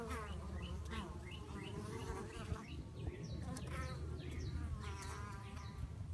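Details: Bees fighting, possibly a bee from a different colony: a steady low hum under wavering buzzy tones that rise and fall, with short high chirps scattered throughout.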